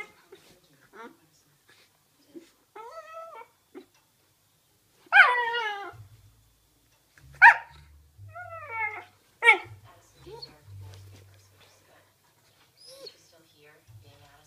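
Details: Playing Ibizan Hound puppy (Podenco Ibicenco) gives scattered soft whines, then three loud harmonic yelping barks about two seconds apart, each with a falling tail, with low rumbling thumps between them.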